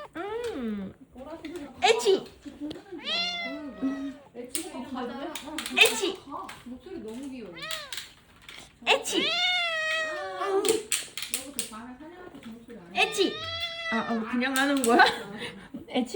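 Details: Indoor tuxedo cat answers repeated fake sneezes with a run of clear, bending meows, some drawn out and wavering, while several people talk and laugh close by.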